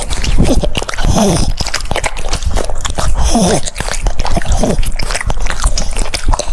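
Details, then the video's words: Cucumber being chewed by a French Bulldog: steady crunchy bites and wet clicks, with a few short voiced, whine-like sounds rising and falling between mouthfuls. "The sound of chewing cucumbers"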